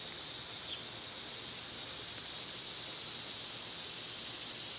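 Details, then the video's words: Loud summertime cicadas drone in a dense, continuous high whine, with a brief faint chirp near the start and the buzz slowly swelling a little louder toward the end. "Birds & Squirrels w/ Cicada sounds"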